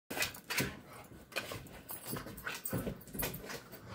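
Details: Belgian Malinois, a female, playing indoors before a morning walk in the park; short breathy bursts of panting and snuffling come every half second or so, with faint whimpers between, in a small room.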